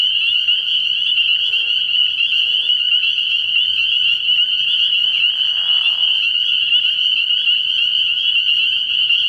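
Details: Many spring peepers at a frogpond after dark early in the year, their high, sharp peeps overlapping into an unbroken ringing wall of sound, with a low raspy trill about two thirds through.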